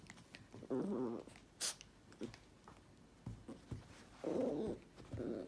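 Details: Two short, wavering growls from a toy poodle, separated by a few seconds of quiet and some faint clicks and rustles.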